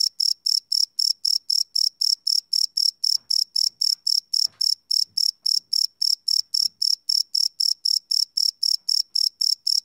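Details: Nighttime cricket chorus captured live with a Sony PCM D100 recorder, high shrill chirps pulsing evenly near four times a second, a few soft low knocks underneath.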